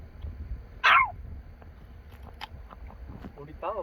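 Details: Single sharp bark from an excited dog during a grave visit in Korea, followed by quiet outdoor murmur and a short human voice near the end.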